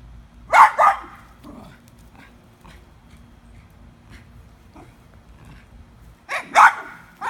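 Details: Dog barking at a squirrel in a tree: two sharp double barks, one near the start and one at the end, separated by a quiet stretch with a few faint yips.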